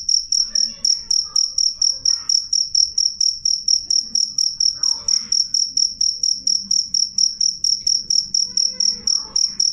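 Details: Loud, clear cricket song, used to drive away rats: shrill high chirps repeated in quick regular pulses, with faint distant bird calls and low hum beneath.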